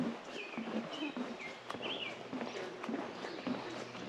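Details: Green frogs give short, low, plucked notes like a loose banjo string, their breeding call around late June to early July, at Grundy Lake Provincial Park, with birds chirping higher up.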